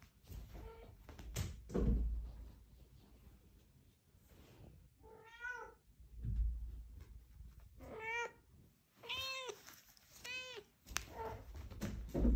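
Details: Fumiko, a Scottish Straight cat from a family cattery in Dordogne, France, meows after bringing back the ball to get it thrown again. There are about six meows, several short and two fuller, between bumps and handling noise.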